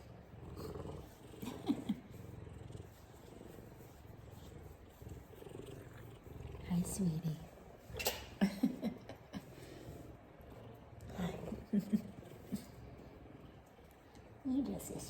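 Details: A big F2 Savannah cat, a male, purrs in a steady low rumble while a woman speaks softly to it, as he gives affectionate headbutts and "kisses".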